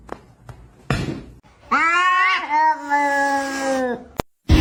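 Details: Domestic cat (kitten) gives a long, drawn-out crying meow that swells and then slowly sags in pitch.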